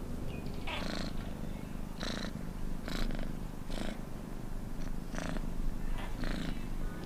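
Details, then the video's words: Close, rumbling purr of a house cat, with breathy rasping pulses arriving at a regular pace of just under one a second. "Cat Purr Sounds"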